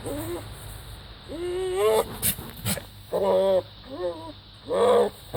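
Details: Strange goat noises: rising, whining bleats followed by several short, loud harmonic bleats with a wobbling pitch, about one per second, over background hiss and hum.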